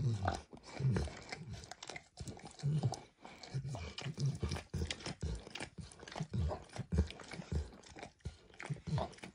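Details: Max the dog eagerly licks food from a textured orange mat, starting with eggs and ending with diluted peanut oil. Steady wet slurps and tongue clicks follow each other in irregular bursts, with brief pauses between runs.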